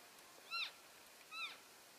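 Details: Two high, thin arching mews come from elk keeping contact within the herd as it shifts between grazing areas, February 3, 2012. Each call is brief, bends upward then down, and the two are about a second apart over a quiet hiss.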